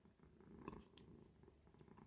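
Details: Cat lying at its window observation post indoors, purring in a soft, even, low rumbling pulse with small rustling sounds over it.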